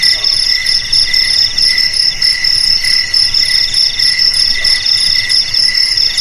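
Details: A chorus of crickets sings without pause. Shrill, layered trills keep a constant ringing tone while a lower chirp pulses roughly every half second to second. No other sounds intrude.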